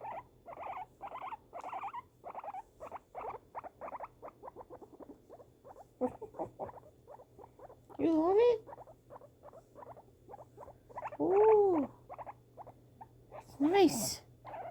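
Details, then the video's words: Female pet guinea pig reacting to fireworks with quick runs of short buzzy chirps. These thin out midway, then return between three loud, rising and falling phrases of a woman's speech. "guinea pig reaction to fireworks"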